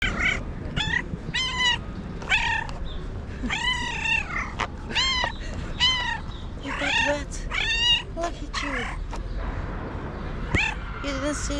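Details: Cat meowing repeatedly, used to attract other cats: a fast run of short, arched, harmonic-rich meows, roughly one or two per second, some rising then falling, with faint background noise.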